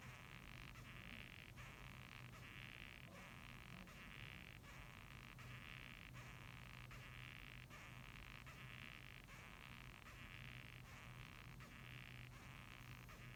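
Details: Squeaky rasping of a Japanese rhinoceros beetle, its scratchy pulses recurring roughly every second in a regular sequence, accompanied by a quiet steady low drone.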